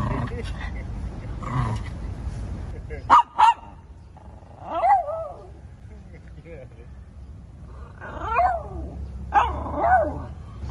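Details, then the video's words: Shih Tzu barking: several short, high, arched yaps spaced irregularly, some paired, over a low background hum with faint voices. "Shih Tzu Barking Noises"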